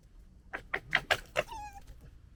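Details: Two young female red fox cubs, littermates from 2021, gekkering: a stuttering series of harsh, throaty bursts ending in a thin, drawn-out whine.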